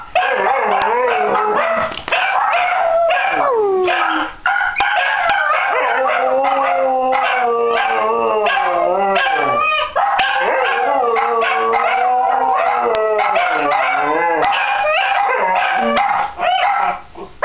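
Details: Dachshunds in a daily group howl begun before a walk, one dog starting and another joining enthusiastically; layered, rising and falling drawn-out howls overlapping without pause, Christmas music from a television playing behind.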